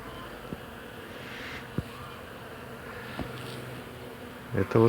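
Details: Many bees give a steady, low droning hum around flowering tall hawthorn bushes in spring bloom, with a few soft knocks and a brief human voice.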